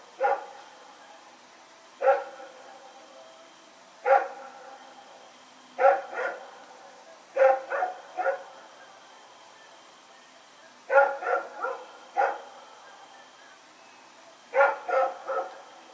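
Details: Rex, a dog running around in the dark on 21 September 2018, keeps barking: single barks roughly every two seconds, then clusters of three or four rapid barks, with a faint steady high tone behind.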